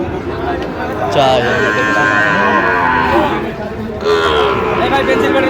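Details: Sahiwal bull calves at a livestock market bought by a farmer in Dhaka, 28 November 2025: a long, drawn-out harmonic moo sustained for about three seconds, then a shorter lowing, over steady crowd chatter and market bustle.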